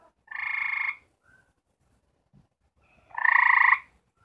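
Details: One of four gray treefrogs trying to mate gives two loud, musical trills about three seconds apart, a mating call.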